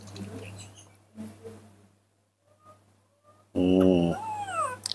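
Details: Baby monkey, confused and playing alone in the dirt of a front yard, gives a loud, wavering, tonal cry near the end after quiet rustling and a woman's soft voice.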